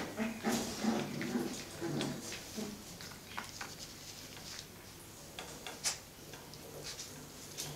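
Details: Five-week-old Cocker Spaniel puppies play-fighting: a burst of low, rough growling grunts repeated rapidly through the first three seconds, then quieter scuffling and scratching noises in a small indoor room.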